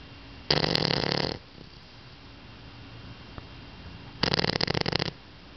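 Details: Sleeping pet dog snoring loudly, described as snoring like an old man: two rasping, broadband snorts about a second long, spaced roughly four seconds apart, with quiet breathing between them.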